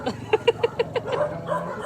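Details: Belgian Malinois, one of the two dogs Luna and Dax, giving a quick run of six short, sharp barks spaced evenly a fraction of a second apart, then softer yelps, over a steady low hum.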